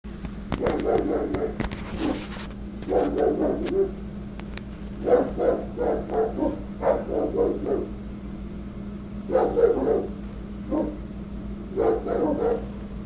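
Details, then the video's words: Angry Rottweiler guarding against intruders, barking at construction workers trimming branches from telephone wires: deep harsh barks in rapid bursts of three to six, pausing between volleys, over a steady low hum. "Angry Rottweiler Barking at Construction Workers"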